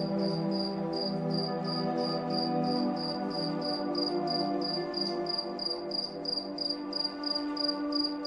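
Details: Moonlit night cricket sound, rapid pulsed chirps recurring around three times a second, partly masked by fuller, louder relaxing music pads.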